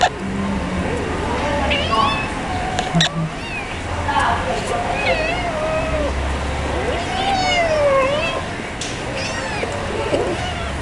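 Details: Many kittens with one mother cat, crying for milk: several overlapping wavering meows, some long and sliding, others short and high, repeated throughout alongside human speech and household noise.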